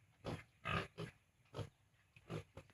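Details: Piglets on a farm, 32 days old and newly separated from their sow, give short low grunts in a steady run of about five bursts within three seconds. Faint background hiss lies between the calls.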